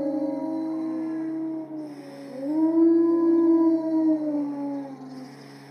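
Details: Zoo-kept timber wolves finishing their group howl in a siren-like way, a few long sustained tones swelling and rising together before fading, with a faint low hum beneath.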